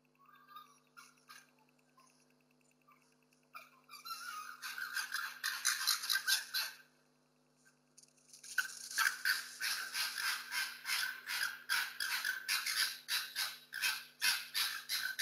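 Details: Two foxes fight over food and territory in a street during lockdown, caught on security cameras: bursts of raspy, stuttering chatter in quick runs, several per second, breaking off and restarting, with a faint steady hum behind.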